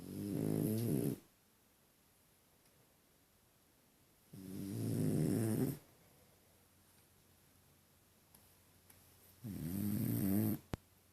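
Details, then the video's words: Deni the French Bulldog snoring in a funny way: three rumbling, rasping snores, each over a second long, spaced by quiet pauses of several seconds, and one small click at the close. "Французский бульдог Дени, прикольно храпит"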